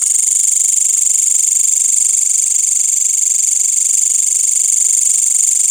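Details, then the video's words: Night insects in a village after sunset, crickets alongside green grasshoppers, produce a piercing high trill pulsed rapidly and evenly, roughly four pulses each second, steady and unchanging throughout. "Suara Jangkrik dan Belalang pada malam hari di desa"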